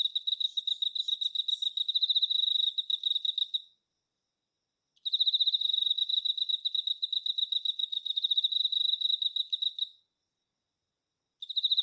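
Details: A male Emma field cricket (Teleogryllus emma) sings long bouts of rapid, pure chirps, high-pitched and evenly pulsed, like a rolling bell, calling to females through the night.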